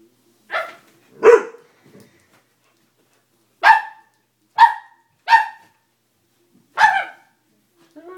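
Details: Dobermann puppy scared of a stuffed toy, giving short sharp barks in small spaced bursts, sometimes two close together with gaps of a second or more between.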